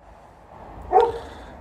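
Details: TJ, a pet dog, complains because he wants to play fetch, during poplar fluff season; one short, sharp bark-yip with a bright, ringing tone rises out of quiet room noise.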